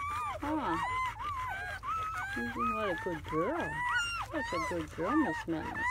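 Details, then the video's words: Seven newborn German Shepherd puppies, four males and three females, in their first hours after birth on May 7–8, 2017, giving overlapping high whining squeals that rise and fall in pitch, with lower, shorter cries mixed among them. "The sounds of 7 newborn German Shepherd Puppies"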